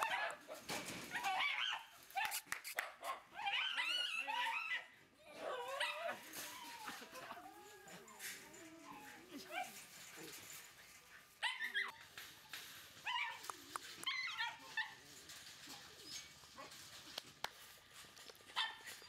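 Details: Female red Shiba Inu puppy, 43 days old, giving high, wavering whimpers and squeals that rise and fall in short bursts, with rustling and clicking noises between calls.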